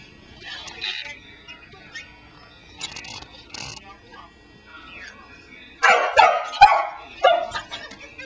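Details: A Pembroke Welsh Corgi, listening to her owner's voice from a cell phone on the floor, suddenly gives a burst of short, high yips, barks and whines after a quiet stretch.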